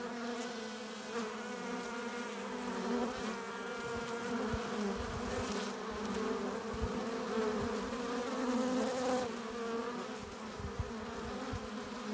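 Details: Honey bees at a hive entrance, entering with pollen and nectar: a dense, steady droning hum layered with many overlapping wingbeat tones, swelling and easing slightly without pause, from a crowd of bees flying in and out.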